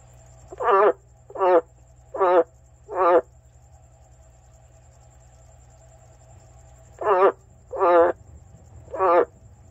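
An Amazon milk frog gives loud, throaty, pulsed croaks in two bursts of three and four notes.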